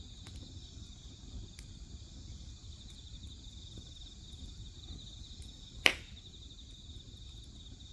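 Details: Grass insects chirping beside a crackling wood fire: a steady, high, shimmering insect chorus runs without a break throughout, with one sharp crack from the fire near the end and a low rumble underneath.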